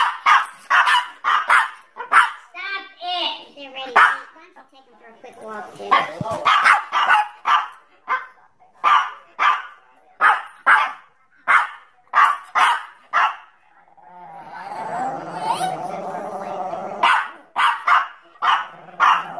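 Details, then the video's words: Angry dogs barking in a compilation: a long run of sharp, loud barks fired in quick, fairly even succession, a brief pause filled with a muffled rumbling noise, then the barking resumes. "dogs barking sounds angry"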